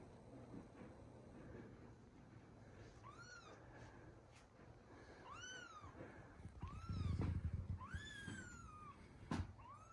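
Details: Newborn kittens meeting their older siblings: a series of high, arched meows with rich harmonics, about five cries spaced roughly a second apart, over a low hum with a few soft thumps.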